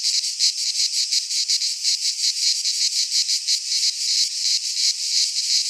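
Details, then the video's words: Midsummer cicada chorus from a pine forest in Greece, a loud high-pitched rasping drone that throbs in quick regular pulses, nearly three per second, steady throughout. "Cicadas singing in midsummer - Nature sounds from the Greek fauna - Sounds of cicadas"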